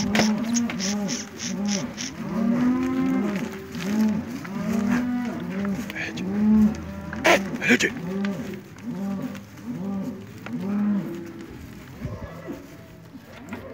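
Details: Cattle at an auction of Angus and Hereford-base stock, a chorus of many low, drawn-out moos overlapping continuously, with loud clatters and bangs from gates and pens.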